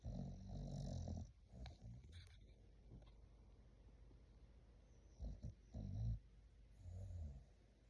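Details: English Bulldog puppy snoring while asleep: a long low rumbling snore at the start, then scattered snuffles and several short grunting snores later on.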